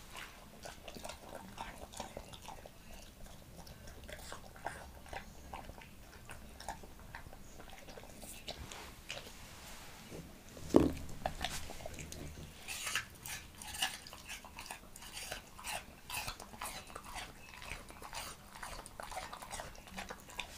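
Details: Leonberger dog Montana chewing apple in a small room: steady soft, moist mastication with scattered crisp bites, one loud crunch midway, then quicker crunching.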